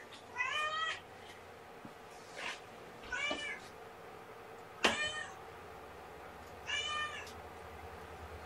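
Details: Young domestic kittens from a litter born April 14th, fed formula on the morning of 1 May 2018, giving five clear, high, harmonic meows, each under a second and spaced one to two seconds apart, over a quiet indoor background.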